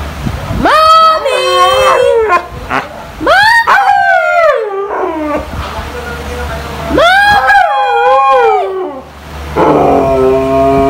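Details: A female Siberian Husky calls her owner to go out with three drawn-out, talkative yodelling yowls that swoop up, waver, then slide down in pitch; faint human voices between and after.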